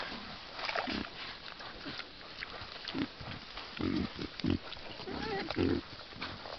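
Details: A wild boar sounder in a forest by a stream grunts in short, low, rough bursts, several animals calling together.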